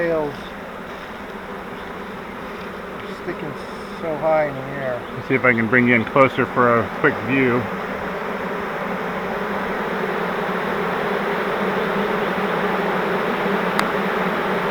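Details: Swarming honeybees taken in a fiber flowerpot swarm trap, later moved into a Langstroth hive. People talk over a low buzz for the first half, then the continuous droning hum of the bees swells and grows louder.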